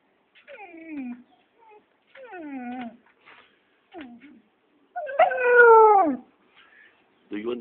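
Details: Siberian Husky answering its owner with a series of short, downward-sliding whines and howls. A longer, louder, falling howl follows near the end, and human speech sounds in between.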